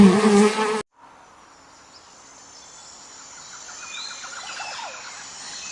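A loud, low, droning fly buzz lasts under a second and cuts off abruptly. Faint high chirps and soft background hiss follow.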